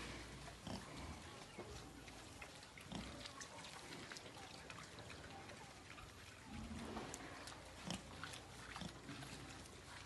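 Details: Breeding wild boars kept together as a herd on a farm, giving low rough grunts and snorts scattered through a noisy pen, with a person talking nearby.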